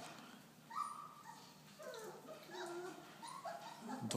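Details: Four-week-old Belgian Malinois puppies from a litter of ten born in November 2013; a run of short, wavering whimpers rise and fall one after another, some squeakier than others, over low room noise.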